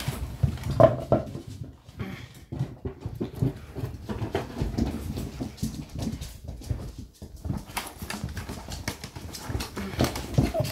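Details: Seven-week-old English Springer Spaniel puppies playing together with toys and a teddy bear give small growls and yips among busy scuffling and clattering noises.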